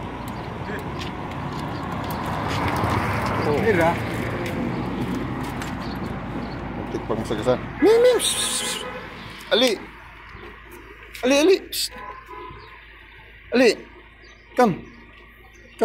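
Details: Abandoned British Longhair cat left in a garbage area, following after people. Short arched meows are repeated every one to two seconds in the second half, after a stretch of traffic rumble and street noise.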